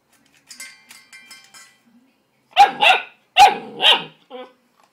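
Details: Ten-week-old Greater Swiss Mountain Dog puppy, upset at his reflection in the food bowl at feeding time, gives four rough, harsh barks in two quick pairs after faint clinking, ending in a short whine.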